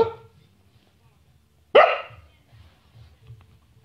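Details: Bonnie the Samoyed, playing and talking: a single loud, abrupt bark after a short quiet pause, with faint indoor murmur around it.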